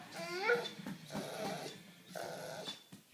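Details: Labrador Retriever at play with a puppy: a sharp, high whimper that bends downward early on, followed by low rumbling grumbles and snorts, then a sudden clatter at the end.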